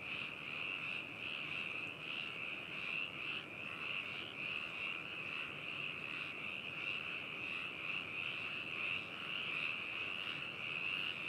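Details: Frogs in chorus at Hakushu town, Yamanashi, Japan, on 4 May 2018, in a binaural stereo recording. A dense, unbroken, rattling high trill holds throughout, rising slightly toward the end.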